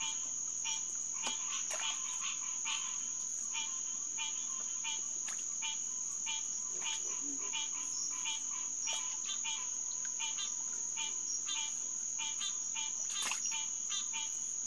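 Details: Green tree frogs (Hyla cinerea) chorusing at SMNWR Headquarters Pond on June 2, 2021, around 9:10 pm: dense, overlapping nasal honking notes, roughly 100 per minute, over a steady high insect whine, with a brief lower sound mid-clip.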